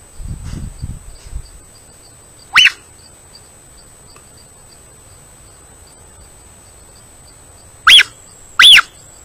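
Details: A mountain lion recorded on a trail camera gives three short, high, whistled chirps that rise and fall, spaced several seconds apart.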